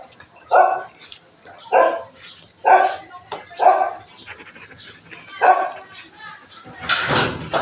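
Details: Belgian Malinois barking in the morning, a run of five loud barks spaced about a second apart, mixed with a man speaking, then a burst of noise at the end.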